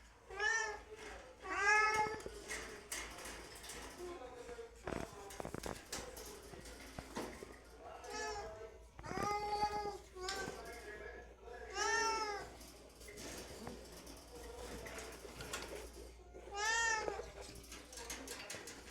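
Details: Hungry house cats meow before mealtime indoors, giving loud, wavering, arched meows repeated every two to three seconds, some longer and plaintive, with faint clicks and handling noises between calls.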